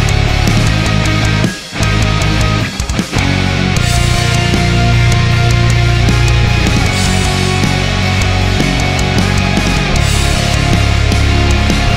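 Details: Heavy metal music with distorted guitars and pounding drums fills the recording throughout.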